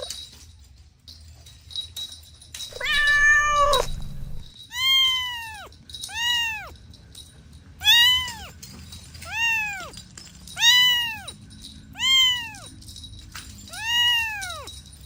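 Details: Kittens playing with their mother and two siblings: a longer strained meow, then a run of short high arched mews repeated roughly every one and a half seconds, each rising then falling, over faint background hum.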